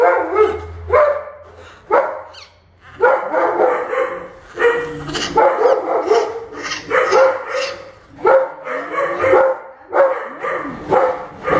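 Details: Orphaned baby howler monkey Milette objecting to her veterinary care: harsh, nasal cries with a falling pitch, repeated roughly every second in bursts, over a faint low hum.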